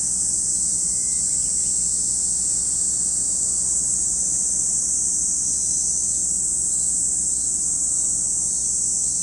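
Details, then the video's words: Continuous cicada chorus by Lake Kamo, Sado City, Niigata, Japan, a dense high hissing buzz that never pauses or changes pitch, over a soft low rumble. "Lake Kamo in Sado City, Niigata Prefecture, Japan, where you can hear the voice of cicadas."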